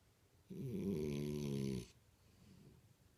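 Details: Imohei the French Bulldog snoring in his sleep: a single rough, rattling snore of just over a second in a quiet room.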